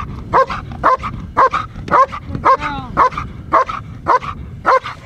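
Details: German Shepherd bitch, trained for IPO, working in protection training; deep, punchy barks evenly spaced about twice per second, with a brief higher whine partway through.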